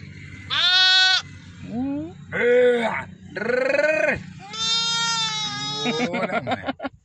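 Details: Newborn lambs, one day old, in a village: a run of five loud, wavering bleats, some high and quavering, others lower and nasal, each lasting about half a second with short gaps between them.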